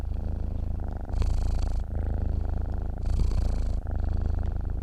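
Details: A cat purrs in its sleep: deep, buzzing rumble with two louder, rougher inhaled stretches between softer exhaled phases, close-up and uninterrupted.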